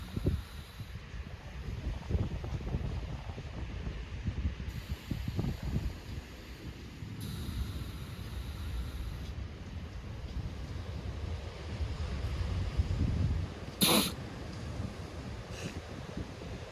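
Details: Southern elephant seals snore on Macquarie Island on 23 December 2024, with deep, rumbling, irregular grunts and gurgles over a steady hiss.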